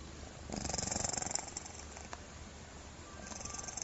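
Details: Domestic cat snoring in a way likened to a human, a burst of rapid, rattling pulses lasting about one second, followed by quiet hiss and faint soft pulsing near the end.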